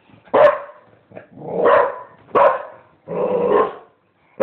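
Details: Dog giving loud, husky barks, some short and sharp, others drawn into longer rough howl-like barks, about one every second, recorded close up indoors.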